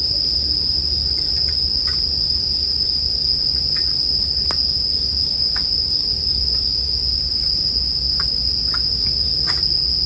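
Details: Bell crickets keep up a steady, high, ringing tone without a break, while a campfire crackles with scattered sharp pops and a soft low rumble runs underneath.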